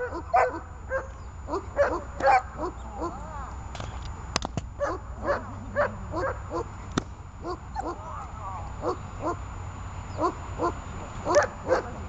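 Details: Runa the dog during holding-and-barking training gives spaced, moderately loud barks, some in quick pairs, over a continuous low rumble, with a few sharp clicks or knocks partway through.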